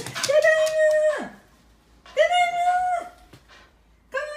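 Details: Shiba Inu named Fuku greeting its owner coming home, an exuberant welcome: long, steady, drawn-out whining howls, two sustained notes of about a second each with a slight fall at the end, then the start of a third, indoors.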